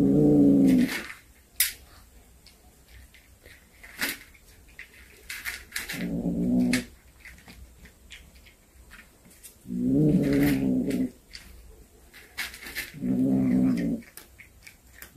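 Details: A snake-hunting cat back home utters four short, low, moaning growls spaced a few seconds apart, with clattering, tapping and rustling noises in the room between them.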